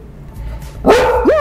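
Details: Service dog indoors in a studio barking again on a second speak command: two quick, sharp, tonal barks, the second rising then levelling off, above a low hum.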